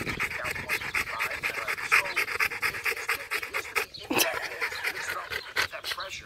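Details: Fast, regular, breathy panting from Macho the Rottweiler, tired from playing fetch, about two breaths a second with a short pause midway, and a person's voice faintly in the background.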